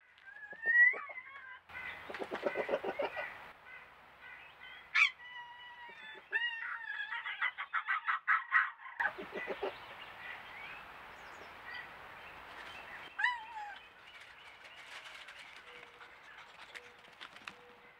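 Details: Red fox (Vulpes vulpes), contact call: mother calling her pup out of the den.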